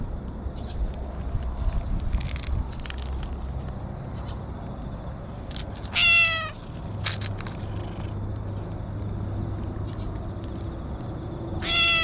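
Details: Stray orange tabby cat in its territory, two short arched meows near the end, separated by about six seconds, with steps, rustling and a low background hum.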